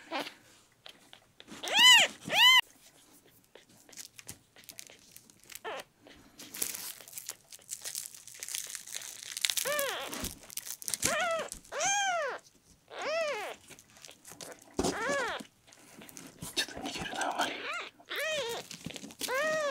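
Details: Ten-day-old rescued red tabby and white male kitten Miel, sick, dehydrated and constipated, mews during an olive-oil enema; short arched cries come in scattered bursts, quicker near the end, over crinkling and rustling in a small room.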